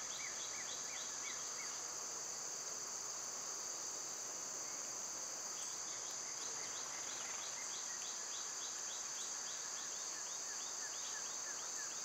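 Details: A continuous shrill insect drone from summer cicadas runs without pause, overlaid by runs of rapid bird chirps in two pitch layers, denser in the second half.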